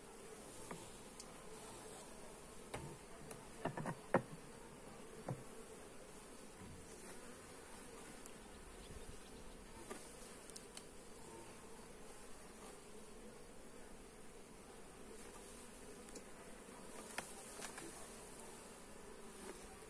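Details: A steady low hum of many honey bees during a hive inspection, with sharper buzzes as single bees pass close.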